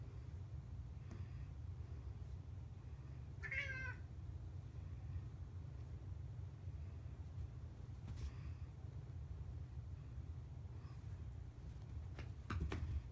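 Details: A pet cat playing with a wand toy indoors, more interested in its shadow than the toy; a single short wavering meow near the start over a steady low hum, then faint taps and rustles.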